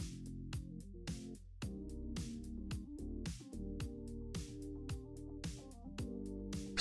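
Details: Only music plays: a bouncy electronic tune with steady bass notes and percussive beats, and no animal sound.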